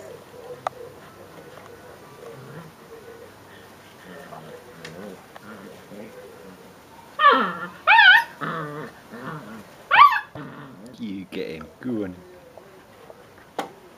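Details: Five-week-old Leonberger puppies whimpering: after low murmured speech, a burst of loud, wavering whines and short squealing yelps runs from about seven to thirteen seconds, with softer grumbling sounds between them.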